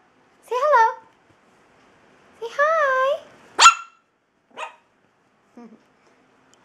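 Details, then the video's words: Puppy barking while playing: two drawn-out, wavering high yelps a couple of seconds apart, then one sharp short bark and a few fainter yips, with a woman talking affectionately to it in between. "puppy bark"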